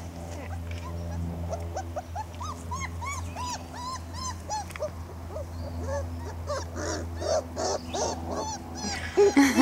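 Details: Four-week-old Weimaraner puppies, a litter settling down for a nap at bedtime, one especially vocal pup making a racket: many short rising-falling whines and yelps in quick succession, with a steady low hum and people talking softly nearby.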